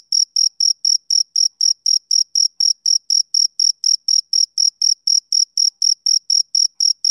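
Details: Male cricket chirping on a summer evening: short, high, clean pulses repeated steadily about four times per second with even loudness and no other sounds.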